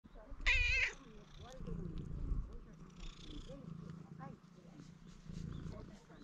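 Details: Stray cats seeking affection at a construction site, filmed on a GoPro HERO8: a short, bright, high meow near the start, then a low steady rumbling purr under soft human speech.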